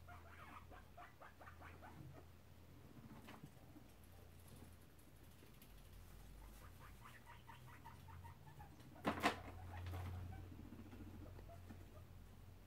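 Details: Short bouts of quick rattling chatter from two guinea pig boars, Shep and Chunk, squabbling as they inspect the sows' cage, separated by quiet stretches and one sharp rustling scrape.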